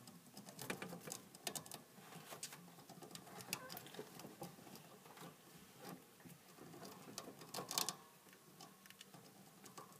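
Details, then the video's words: Hamster noisily eating: dense, rapid crunching and sharp clicking of gnawing, nearly continuous with louder snaps here and there, in a small quiet room. "Hamster can be noisy while eating"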